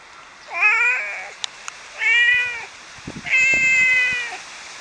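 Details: Domestic cat, one of six cats whose voices are being compared, giving three clear, drawn-out meows about a second apart, each level-toned and bright, with a few faint clicks and taps in between.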